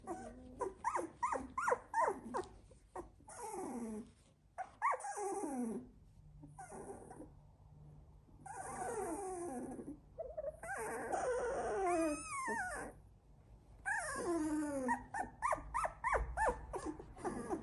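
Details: Litter of sixteen-day-old Labrador Retriever puppies whining and squealing almost continuously, many overlapping high, bending cries rising and falling in quick succession, with brief grumbling notes in a small indoor room.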